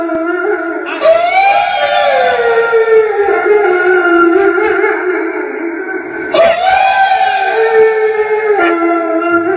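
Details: Siberian Husky dog screaming: two long, loud, wavering howl-like cries. The first rises, then slowly slides downward over about five seconds. The second starts abruptly near the six-second mark and holds a strained, richly harmonic tone.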